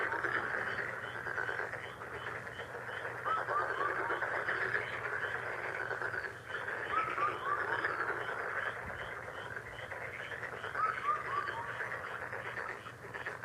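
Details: Frog chorus: a dense, steady wall of rapid pulsed croaking from many callers, with short runs of three or four clear whistled notes, each falling in pitch, recurring from a bird.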